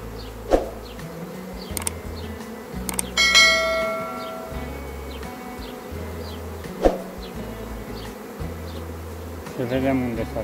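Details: A natural honey bee (Western honey bee, Apis mellifera) swarm leaving its hive fills the air with a steady, dense buzzing hum.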